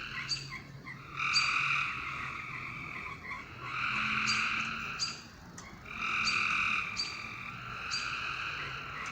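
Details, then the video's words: Night-time frog chorus: three buzzy, layered bursts of about one and a half seconds each, coming roughly every two and a half seconds. Each burst opens with crisp clicks, over a low steady hum. "A Strange Night Sound? And Frogs!"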